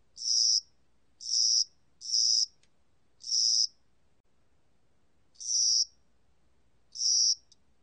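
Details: Cricket heard in spring and summer: six high, rasping chirps, the first three close together, then spaced with longer pauses, each burst brief and buzzy against silence.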